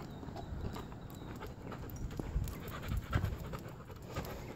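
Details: Leashed male Rottweiler on a walk, quick soft huffing pants repeating in a loose rhythm, low and breathy, over background street noise.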